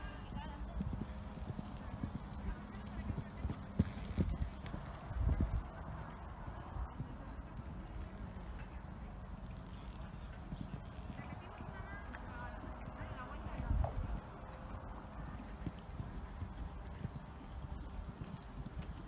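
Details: Horse competing in a promotional eventing test with jumping and cross-country at CNC La Dehesa on 29 September 2018; dull low hoof thuds run under steady crowd murmur and outdoor rumble, with occasional louder knocks and a few spoken Spanish words.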